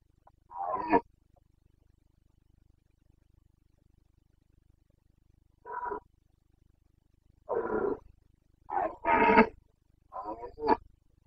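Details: Carpathian stag (red deer) in the Bucovina mountains roaring during the rut, breeding season, 29 September 2022; loud harmonic bellows in separated bursts, then a rapid cluster of three or four grunting roars near the end.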